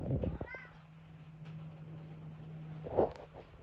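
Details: Pet cat listening to heavy rain outside and talking: a short rising chirp-like meow early on, then a louder, fuller meow near the end, over a steady low hum.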